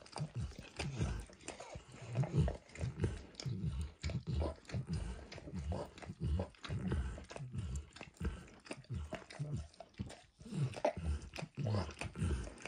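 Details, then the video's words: Max, a dog, licking food off a bumpy orange mat: wet, smacking tongue strokes in uneven bursts, about ninety-four a minute, deep and thumping, with no other sounds. "Max Licks | ASMR Dog Licking | Max & The Orange Mat"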